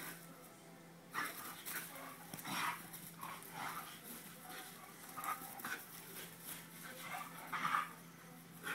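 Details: Greyhound April playing with her mate Rupie, the game called helicopters; short rough growl-like bursts and huffs come in quick irregular clusters over a faint steady hum.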